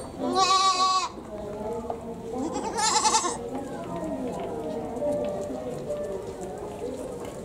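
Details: Goat in a zoo in Japan, its voice compared to a person crying: two wavering, tremulous bleats close together at the start, followed by continuous background talk from visitors.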